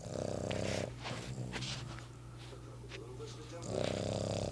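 A Boston terrier snores with low, rattling, rumbling breaths at the start and end.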